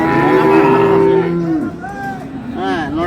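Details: Dairy cow among improved-breed cows and calves at Ambari cattle market, Dinajpur, Bangladesh: one long, steady, low moo held about a second and a half, then fading into people talking and bargaining nearby.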